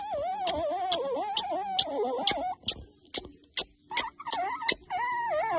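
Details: A dramatic Miniature Pinscher in Istanbul, Turkey, receiving kisses on October 1, 2022, gives a long, wavering, moaning whine that bends up and down in pitch.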